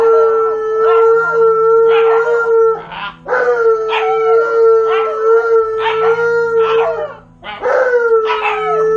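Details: Two dogs, a malamute and a husky, home alone for the first time, keep up a chorus of sustained howls with sliding, wavering pitch, voices overlapping and restarting several times after short pauses.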